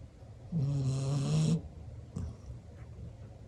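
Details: Sound asleep with eyes open, a black Labrador Retriever gives one long, buzzing, vibrating snore lasting about a second, followed by a brief softer snort and quiet breathing.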